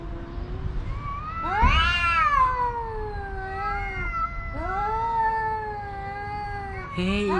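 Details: Two homeless male cats on private property yowling at each other in a long standoff to win a watching female house cat; drawn-out wavering wails rising and falling, overlapping, with one sharp rising yowl near the middle and a man's voice.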